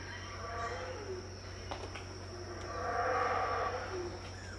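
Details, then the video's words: Howler monkeys in the 6am dawn chorus at Tikal, Guatemala, 2018, not seen: a distant hoarse roar rises after a quieter stretch and tails off, with a sustained insect whine and low hum behind. "THE SOUND OF HOWLER MONKEYS,TIKAL,GUATEMALA, 2018"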